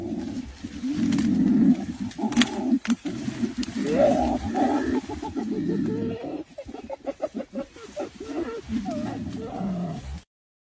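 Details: Two silverback mountain gorillas fighting in Rwanda over which way their family of 19 should move into the forest; harsh, rough roaring screams with wavering harmonic bands, then choppy grunting bursts before an abrupt end.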